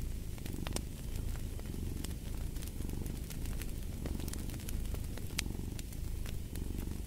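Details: Cat's continuous low purr, less clearly pulsed, mixed with frequent crackling and popping from a fireplace.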